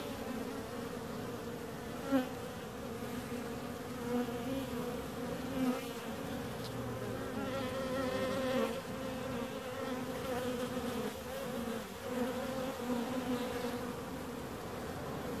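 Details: Constant buzzing of many bees, a rich droning hum with harmonics, punctuated by brief louder fly-bys of single insects close to the recorder.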